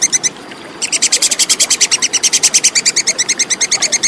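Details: Plantain squirrel (tupai kekes) giving a clear, rapid chattering call: sharp high clicks repeated about three times per second in long unbroken runs, with one short pause near the start; no other sounds.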